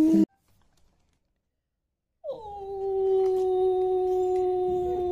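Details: Long-coat German Shepherd puppy, five months old and male, after a short pause lets out one sustained even-pitched howl that starts with a quick downward slide and holds steady for about three seconds.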